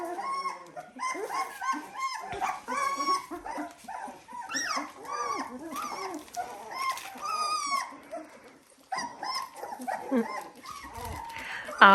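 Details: Seventeen-day-old Dalmatian pups whine and squeak in a steady jumble of high, curving cries, several voices at once, with brief quieter gaps and a sharp sound at the very end.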